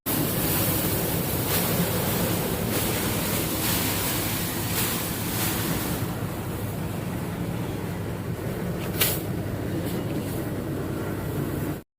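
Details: Steady broadband rushing noise like wind or passing traffic, with faint clicks, and no animal sounds audible.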